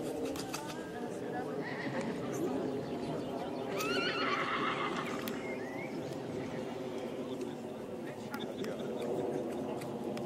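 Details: Young mare by Perigueux out of a Ginsberg–Cordial line, entry number 4 at the 2021 Sandbostel foal show, gives a quavering, falling whinny midway, over steady crowd chatter and occasional hoof clops.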